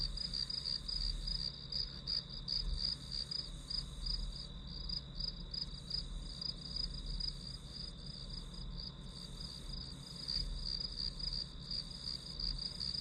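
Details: Grass insects calling through an hour-long study session soundscape: a steady high chirping band, pulsed roughly three times a second, with overlapping callers and a low background rumble.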